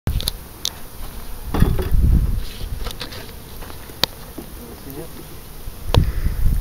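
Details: Bees at an open hive during an inspection on April 1, 2012, giving a low, steady hum beneath clicking handling noises, with a man speaking about spotting the queen.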